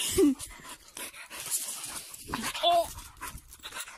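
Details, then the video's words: Pet sprocker spaniel leaping around and attacking bubbles while playing, giving two short, sharp barks about two and a half seconds apart, with a person talking and telling it to be quiet in between. "My Dog Plays With Bubbles ( lots of barking )"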